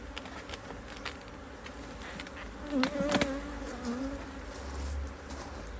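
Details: Busy honey bee colony in a Hive IQ hive, Australia, almost mid-Autumn 2023, in fine weather while a box of empty frames is added; an even, sustained buzzing hum with a higher overtone and occasional clicks of handling.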